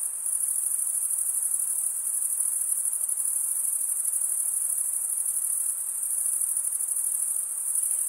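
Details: Crickets chirping nonstop, the males rasping one wing across the comb-like teeth of the other. The result is a dense, shrill, rapidly pulsing whine, with slight swells and fades in volume.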